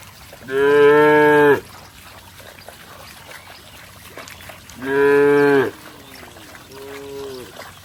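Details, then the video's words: Cattle running and leaping through mud, splashing about: two loud, harmonic-rich moos about a second each, four seconds apart, then a softer, shorter low moo at the end, over a faint background hiss. "Suara sapi Moo"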